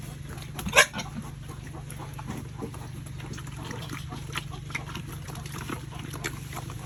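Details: Pigs raised on a family farm, at feeding time: one short, loud, harsh squeal early on, then soft scattered slurps and chewing clicks over a constant low hum.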